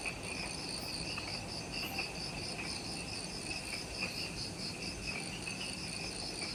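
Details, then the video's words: Just after sunset in the jungle of Ishigaki Island, Okinawa, Japan, near the Mount Omoto trailhead, many insects keep up unbroken shrill pulsing trills at layered pitches, with a gentle low rumble underneath. "Forest Twilight Sounds – Ishigaki Island | Relaxing Jungle Ambience with Insects"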